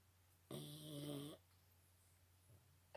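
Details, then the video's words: A Boston Terrier gives one big snore, a harsh, buzzing inhalation lasting under a second, followed by quiet breathing and a faint hum. "Boston Terriers big snore."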